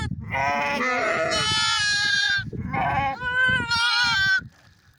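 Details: Two long, harsh, wavering bleats from bighorn sheep run almost back to back, the second rising in pitch, over rough low rumbling noise before fading out.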